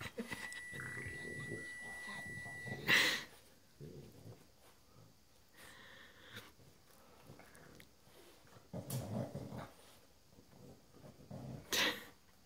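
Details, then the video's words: Tux, a Boston Terrier, protesting as his coat is put on. Short rough growling and snorting grumbles come in bursts near three, nine and twelve seconds, between quieter rustling and handling noise indoors. "Boston doesn't want his coat on"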